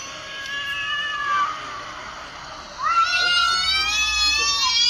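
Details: Cat sounds played on a mobile phone to a mature cat: a long wavering yowl slides slowly downward, then a louder drawn-out cry starts near three seconds, rises briefly and falls away, rich in harmonics.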